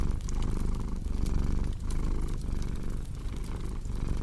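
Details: Short stretch of a cat's low, rumbling purr rising and falling in breath-length surges, with the crackle of a burning fireplace in the background.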